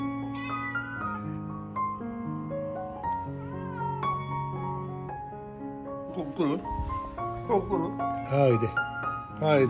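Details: Neutered male ginger tabby cat, about five years old, living in a barber shop and seeking affection from an older man. A run of wavering, rising-and-falling meows in the closing seconds, over steady background music.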